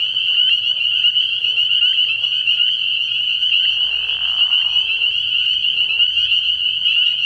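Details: Spring peepers calling in a dense chorus from a frog pond at night early in the year: a continuous shrill, high, ringing wall of overlapping peeps, steady throughout, with faint lower murmurs beneath.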